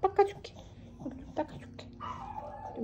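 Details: Dubu, a ten-year-old Maltese, hospitalized before surgery and happily full after eating, gives a drawn-out whining tone that slides downward, following short soft noises, while a woman talks gently close by indoors.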